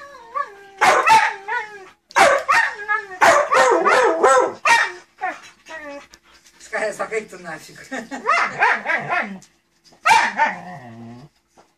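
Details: Siberian Huskies vocalizing back and forth as if talking to each other: wavering, yodel-like howled bursts with rising and falling tones, about five bouts over twelve seconds separated by brief pauses.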